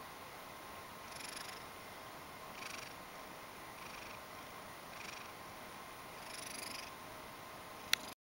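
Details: Ragdoll cat, a pet that likes being stroked, coming over and purring because it wants to be petted; soft breathy purr bursts repeating about every 1.3 seconds over a steady quiet hiss, ending with a brief click.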